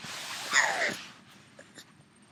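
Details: Yoda, a three-year-old pug left at home, calling non-stop because he misses the other dog gone for a run; one brief whining cry that slides downward in pitch, then faint clicks and a quiet room.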